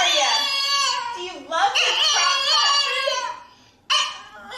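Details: Dog making a funny, speech-like noise indoors: a long, wavering whine-howl with rich overtones, sliding up and down in pitch for nearly four seconds, a brief silence, then one last rising cry.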